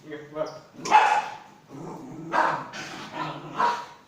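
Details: Pomeranian named Rikki at play indoors, giving a few sharp broadband barks spaced about a second apart, with a woman talking over and between them.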